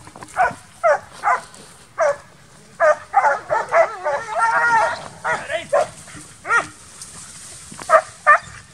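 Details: Transylvanian Hounds, young dogs in midsummer training for wild boar hunting, give sharp barks in uneven runs with a drawn-out, wavering yelp near the middle and short gaps of quiet outdoor sound.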